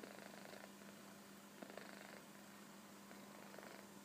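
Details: Short stretch of Koro the kitten asleep on a sofa: gentle, hoarse snoring breaths, about three rough bursts in four seconds, with a steady background hum.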